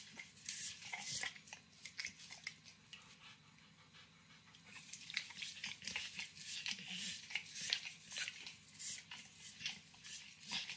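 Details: Sustained slurping and tongue smacks as Max, a nine-year-old Pit Bull, works on overcooked bacon in a kitchen, with a quieter pause in the middle before brisk licking resumes, over faint low hum.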